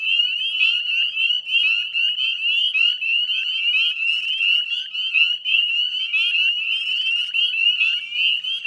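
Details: Spring dusk at the wetlands of West Chezzetcook, Nova Scotia: a full chorus of Northern Spring Peepers, shrill upward-sliding peeps from many frogs overlapping continuously, with slightly louder bursts of calls standing out now and then.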